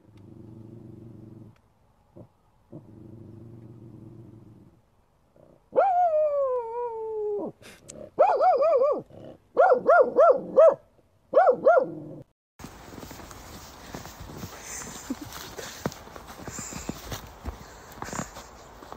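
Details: A female corgi growls low, gives a long falling whine, then a run of quick, bright yipping barks.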